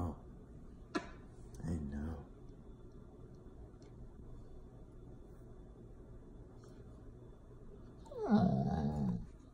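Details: Needy pet Golden Retriever indoors, wanting its owner to keep petting it: short whimpers and a low growly moan near the start, quiet stretch, then a louder falling whine, with a person speaking.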